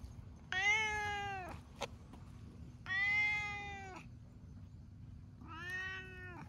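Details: Three drawn-out, clear meows about two and a half seconds apart, each bending slightly downward at the end, from stray cats sunbathing together, including an affectionate orange tabby; quiet low hum beneath.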